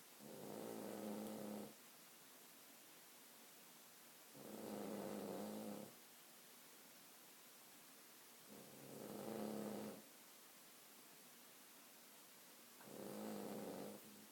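A sleeping Cavalier King Charles Spaniel snores in slow, rasping breaths about every four seconds.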